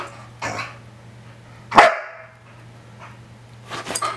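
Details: Two rescued pet dogs about two years old, a black Australian Kelpie named Audi and a bulldog mix named Shelly, at play; one sharp loud bark in the middle, with softer huffs before and after, over a low steady hum.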